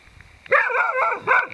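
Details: Beagle in a vegetable plot, facing down a Dhaman rat snake: a loud, drawn-out harmonic bark that bends in pitch for most of a second, then a second shorter bark, with a man's voice calmly speaking right after.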